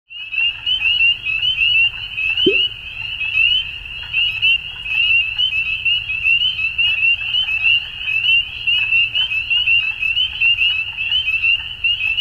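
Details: Frogs calling at dusk: a dense, unbroken chorus of high, rapid pulsing notes stacked into a steady shimmering band, with one brief lower chirp near the start; faint low background rumble underneath.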